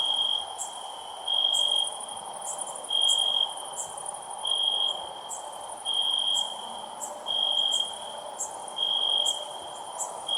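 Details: Loud chirping of a cricket: bright high trills repeating about every 1.4 seconds over a persistent fainter tone, with ticking accents and steady hiss behind.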